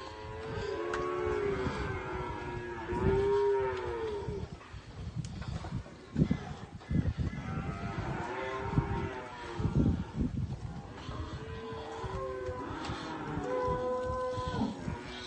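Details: Cows and calves lowing: several drawn-out moos, some deep and others higher and more nasal, overlapping at intervals of a few seconds, with rustling and thumping movement noises in between.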